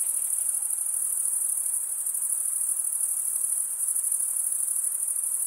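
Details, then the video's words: Continuous shrill cricket stridulation: a dense, even, very high-pitched ringing trill made by rubbing the wings together, holding level throughout apart from a slight dip near the end, over soft hiss. "Most relaxing cricket sound for 8 hours"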